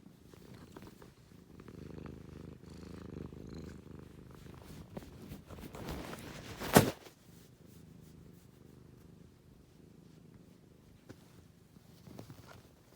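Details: Cat purring in a low, throbbing, continuous rumble that swells and eases with its breathing, broken once midway by a sharp loud click.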